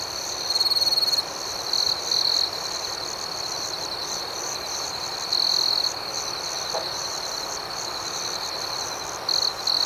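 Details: Night-time crickets keep a continuous shrill trill, broken by louder bursts of ringing chirps lasting about half a second to a second, spaced irregularly; higher pulsed chirps sound faintly in the background.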